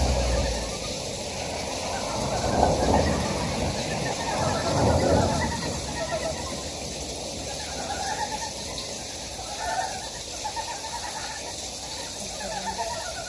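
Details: Wild frogs calling in a stream valley on Gyejoksan, Daedeok-gu, Daejeon, South Korea: overlapping rapid pulsed croaks in a dense chorus, partly masked by low rumbling noise bursts early on.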